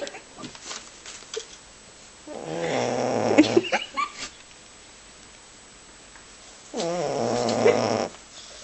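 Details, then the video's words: Boxer dog Aro, a male, asleep and snoring rather loudly; two long rasping snores with a buzzy, vibrating tone, each lasting a second or more, separated by quieter breathing. "Aro snoring"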